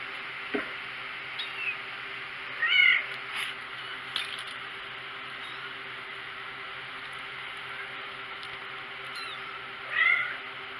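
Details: Thin, high-pitched mews from four-week-old kittens, one short cry near three seconds and another just before the end, separated by quiet stretches over a constant low hum and faint clicks.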